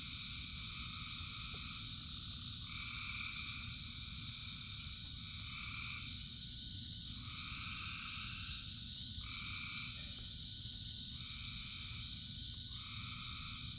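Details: Frogs calling in rain, with thousands singing together: paired droning notes in bursts of one to two seconds, overlapping in a steady chorus, above a constant high hum of further callers and a low rumble of rainfall.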